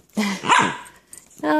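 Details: Playful pet dogs, a chihuahua and a mini husky named Miko and Sam, wrestling in a living room; a short harmonic yowling bark bends up and down, then a second steady moaning vocal note, with a voice nearby.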